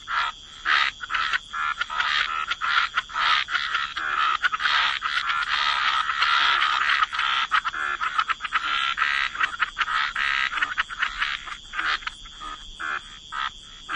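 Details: Many frogs croaking at the waterside in a wetland: rapid rattling croaks, roughly two per second, merging into a thick continuous chorus in the middle, then separating again.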